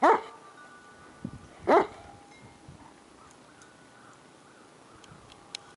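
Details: A paraplegic female Shiloh Shepherd in a homemade cart, outside in the snow, barks at passing dogs she sees. Two loud, abrupt barks sound about two seconds apart, followed by quiet outdoor ambience with faint clicks.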